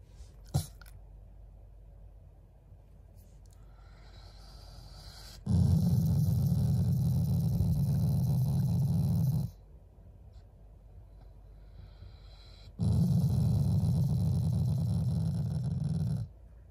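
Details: A Shiba Inu growls out of affection for its owners rather than anger, giving two sustained, throaty rumbles of around four seconds each with quiet breathing-like pauses and a faint click beforehand.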